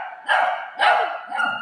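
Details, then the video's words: Shih tzu playing with a ball together with a golden retriever, giving two sharp, harsh barks about half a second apart, followed by a softer, shorter yelp at the end. "shih tzu barking video"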